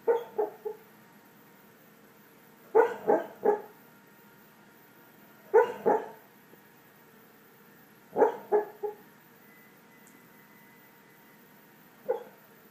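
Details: Sleeping dog snoring: clusters of two to three short, throaty nasal pulses recurring roughly every two and a half to three seconds, separated by near-silent pauses in an otherwise quiet room.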